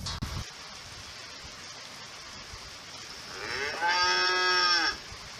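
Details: A single cow moo rises from a low start into a loud, held, richly harmonic tone lasting about a second and a half, over steady background hiss, with a brief knock at the start.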